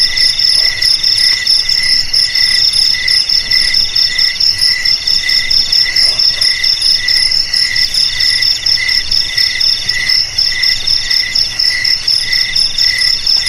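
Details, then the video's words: Crickets trilling together, a sound meant to drive rats from houses and fields: piercing high ringing trills stacked at different pitches, beating in quick uneven bursts a couple of times per second, with no other sounds. "Suara JANGKRIK"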